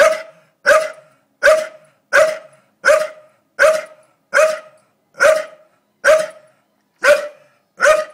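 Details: Doza, a Staffy facing a blue-tongued lizard she found, gives a run of eleven evenly spaced, gruff barks. They come roughly every three-quarters of a second and are loud and clipped.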